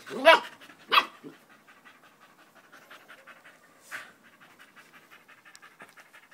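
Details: A dog named Danco, recorded 5 August 2013 and staying close at someone's leg, opens with two loud bursts, then pants softly in quick, quiet breathy pulses, with another louder burst near the four-second mark.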